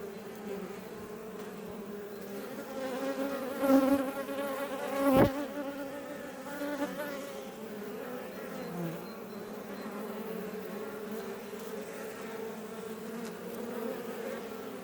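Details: Western honey bees (Apis mellifera iberiensis) buzzing outside a Langstroth hive west of Roquetes, South Tarragona, Catalonia, Spain, near Els Ports National Park. Many beating wings make a steady, low humming buzz rich in overtones.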